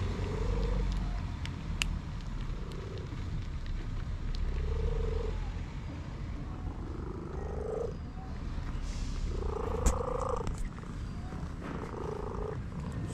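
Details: Orange cat enjoying a massage gives a series of drawn-out, level, mid-pitched tonal calls, roughly every two seconds, some with a slight upward bend, over a steady low rumbling background.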